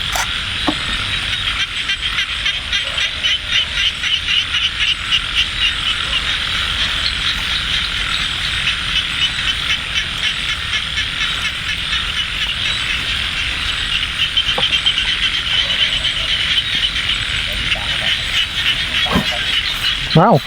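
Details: Frogs calling in light rain at Ban Na Suang, Det Udom District, Ubon Ratchathani, Thailand, during a frog hunt: a dense, unbroken chorus of rapid, ratchet-like pulsed croaks, with a brief human voice near the end.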